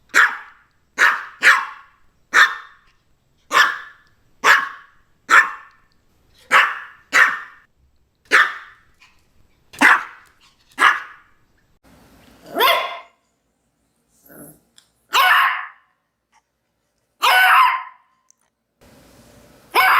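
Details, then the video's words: A Maltese dog barks in a quick run of short, high yaps about once a second, then pauses and gives a few louder, longer, harsher barks spaced two seconds apart, with faint background hiss. "CACHORRO MALTÊS LATINDO 🐾SOM DE CACHORRO 🐾 BAKING MALTESE DOG"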